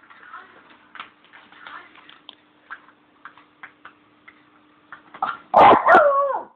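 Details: Pet Bichon dog, male, vocalising to ask for his beloved bone: about five seconds of soft, short whimpering yips, then two loud, harsh bursts ending in a wavering, falling tonal howl.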